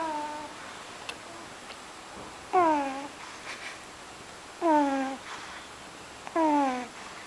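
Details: NaNo the pug asleep and snoring: three whistling, nasal tones, each sliding downward in pitch and lasting about half a second, spaced roughly two seconds apart, with quiet breathing and near silence between them.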